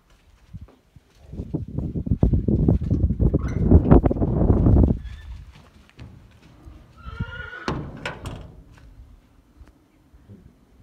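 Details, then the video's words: A stallion and a mare at their first meeting. After several seconds of loud hoof thuds and shuffling, a high, shaky whinny with stacked harmonics rises and falls briefly before quieter low movement sounds. "Caballo y yegua primera cita."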